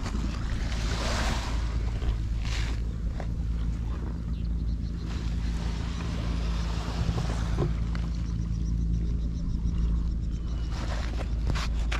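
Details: Steady wind buffeting the microphone and the low rumble of waves and a boat engine on a seashore, with occasional gusts and no clear animal voice.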